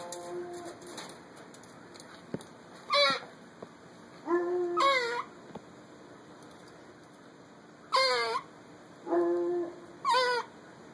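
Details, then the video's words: Squirrel named Olivia squeaking back at a dog while eating a honey roasted peanut: sharp, high, wavering squeals in short bursts near three, five, eight, nine and ten seconds, with quiet chewing and indoor background between them. "Squirrel Squeaking at Dog while eating"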